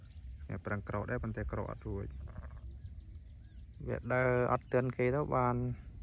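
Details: Newborn lamb born with weak, bent front legs that cannot stand up on its own, its ewe short of milk; after a man talks, a run of wavering, quavering bleats comes near the end.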